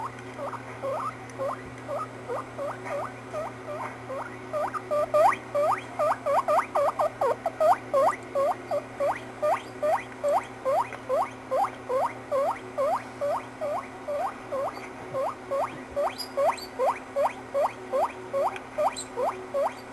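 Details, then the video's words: Pet guinea pig squeaking; a long, steady run of short upswept whistles repeated about two to three times per second, loudest in the middle, over a constant low hum. "my guinea pig making silly sounds!"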